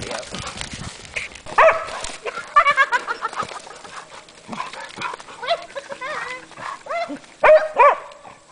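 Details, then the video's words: Two Hungarian Vizslas, Sophie and Sara, playing along the Delaware River near Delaware Water Gap in Pennsylvania's Pocono Mountains, April 14, 2008; scattered yipping barks and arched whines, with human voices in between. "Two Crazy Vizslas at Play"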